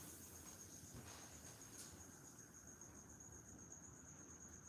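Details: Crickets chirping in the background of a quiet room while nobody is speaking: a steady, thin, high-pitched continuous trill running through the whole stretch, with a soft broadband rustle near the start.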